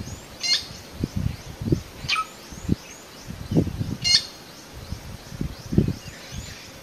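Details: Cheetah mother calling her hidden cubs from the high grass at Phinda, Zululand, South Africa; bright bird-like chirps about every one and a half to two seconds, over repeated low thumping and rustling.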